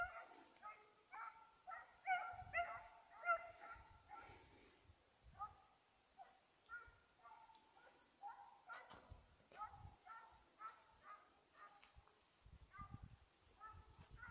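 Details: Petit Basset Griffon Vendéen pursuing a rabbit, 5 October 2014; a long series of irregular tonal bays, loudest early then steadier, with rustling and faint higher noises throughout.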